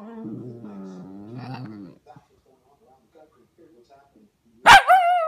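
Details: Young Pomsky called Vader making a low, wavering, drawn-out grumbling moan for two seconds, then a pause and a sudden loud yelp trailing into a whine.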